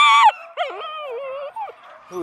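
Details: Young female Beagle in Stevensville, vocal because she wants to play with other puppies: a sharp high yelp drops into a long, wobbling, moaning howl that trails off before a brief final cry.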